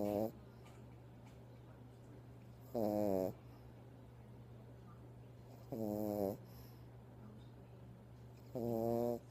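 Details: Pet dog sleeping and snoring while held in its owner's arms indoors; short, nasal, tonal snores of about half a second repeat roughly every three seconds, over a constant low electrical-sounding hum and faint soft rustling.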